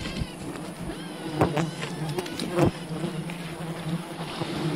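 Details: Continuous low buzzing of a wild honey bee colony during harvesting, overlaid by a few loud knocks around one and a half and two and a half seconds.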